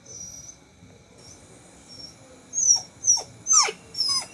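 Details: Sick puppy Bittu, sole survivor of its litter, whimpers indoors while too scared to venture outside; soft thin whines at first, then four loud high cries with steep downward slides in quick succession.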